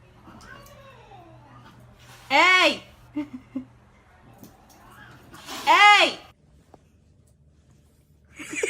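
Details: Domestic cat in an indoor room giving two loud, drawn-out meows about three seconds apart, each arching up then sliding down in pitch, with faint murmured speech and a steady low hum beneath.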